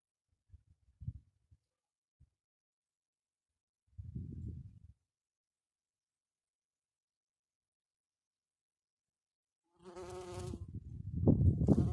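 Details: Low, droning buzzes of a bumblebee working on a mahonia come and go in short bursts, late in the season in cold, dry, windy weather, with gusty wind rumbling underneath.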